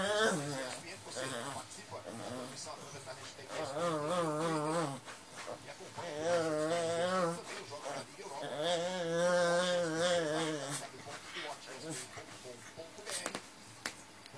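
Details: Cutelo, a ten-year-old black and white Lhasa Apso, grumbling as he settles his bed before sleep, a complaining habit he has every night; wavering, moaning whines in several long drawn-out bouts with a wobbling pitch.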